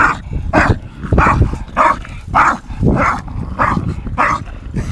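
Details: Staffordshire Bull Terrier Tyson, 8 months, and English Bulldog Viper, 2.5 years, at play; about eight gruff barks roughly every half second over a low growling rumble.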